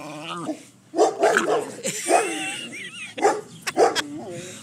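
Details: Schipperke dog in a back yard guarding his precious steak bone, giving short growly barks and yips in bursts, mixed with a man's teasing speech.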